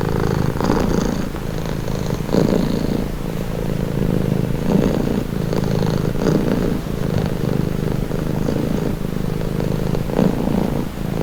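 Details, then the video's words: Relaxing purring of a cat, deep vibrating drone pulsing in a slow breathing rhythm, inhale and exhale cycles of around one to two seconds, unbroken throughout. "Purring cat"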